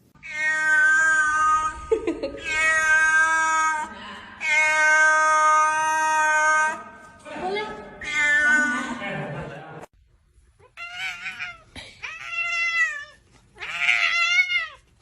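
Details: Domestic cat in a funny pet compilation giving long, drawn-out, harmonic meows in several bursts, some wavering and falling, with a short pause near ten seconds before higher, quavering meows resume.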